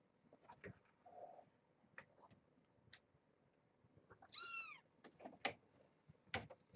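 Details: Kitten in a Purrfect Pals cage with its mother Janine, a brown tabby, during an afternoon play visit: one clear, high, harmonic-rich mew rising then falling, among scattered clicks, paw taps and small rustles.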